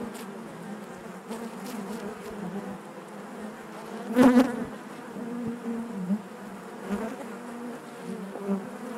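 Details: Honey bees inside their hive make a natural, steady low buzzing hum with layered overtones. One bee's buzz swells sharply and loudly around the middle, and softer individual buzzes rise and fade through the drone.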